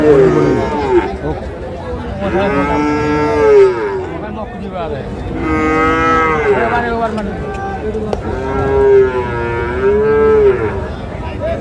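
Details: Holstein Friesian cattle at the Ambari livestock market, Parbatipur, Dinajpur, Bangladesh, 20 August 2026, where bulls are sold: three drawn-out, wavering moos, each lasting one to two seconds, over constant crowd chatter and bargaining voices.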